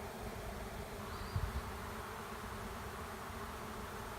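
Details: Swarming honey bees moving into an empty driveway hive make a steady droning buzz, interrupted by a couple of short low bumps around the middle.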